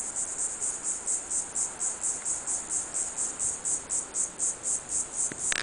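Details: Diceroprocta viridifascia calling in a sunny pine grove, Pine Island, southwest Florida, on a hot day; high-pitched buzzy pulses repeating about three to four per second, ending with a knock.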